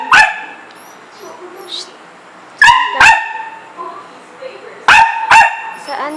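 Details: Household dog eager to get outdoors though it is raining, trained not to pee or poop inside: two pairs of quick, sharp barks, each pair with the barks a fraction of a second apart, with soft squeaks and faint voices between them.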